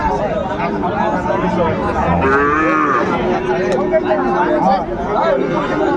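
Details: Sahiwal bull calves at a busy cattle market on 24 February 2025, where a young woman farmer from Dhaka is buying. Drawn-out, low, harmonic lowing rises and falls over several seconds beneath constant crowd chatter and bargaining voices.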